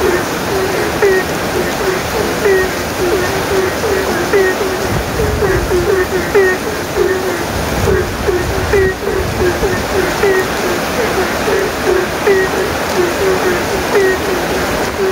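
Many frogs answer one another with brief, low, slightly rising croaks, repeated several times a second. Steady rainfall hisses beneath the chorus throughout.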